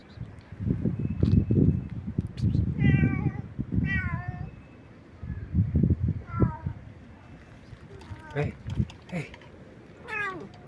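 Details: Loud, nonstop meowing of a stray cat: about six wavering meows, some sliding downward, interleaved with a person talking to the cat in short bursts.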